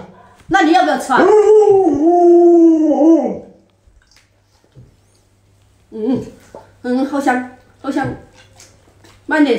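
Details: Alaskan Malamute Luoluo reacting to its owner lying sick in bed: a long, steady harmonic howl holding level for about three seconds, then short broken vocal bursts after a pause, in a small indoor room.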